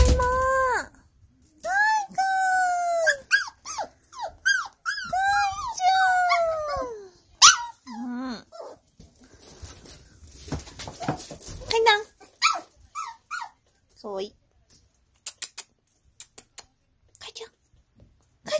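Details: A two-month-old Toy Poodle puppy gives a run of high, arching whines, with human voices and music in the background.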